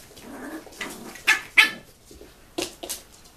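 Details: Seven-week-old puppies from a kennel litter, recorded in 2015, give short, bright, high-pitched yelps in two quick pairs over about three seconds against a soft, noisy indoor background.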